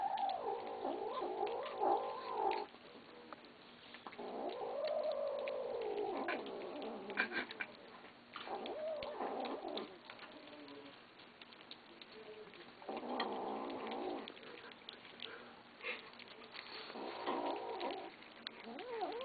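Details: Kittens growl at each other while eating, a series of rough, wavering growls that swell and fade in bursts a few seconds long, with chewing clicks and shuffling in the gaps.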